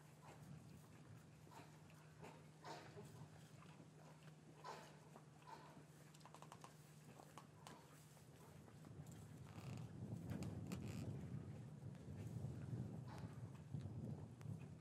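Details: Cattle lowing in a traditional English farmyard on a winter afternoon, calves kept apart from their mothers. A deep, drawn-out moaning swells in the second half after scattered knocks and shuffling over a constant low hum. Captured with paired Rode M5 microphones.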